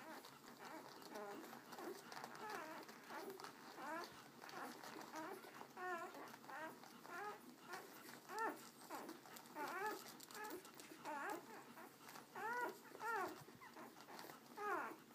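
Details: Litter of American Akita puppies indoors beside their mother Abby, who tends them; a steady chorus of many high, arching whines and squeaks, overlapping continuously with slight rises in loudness every second or so.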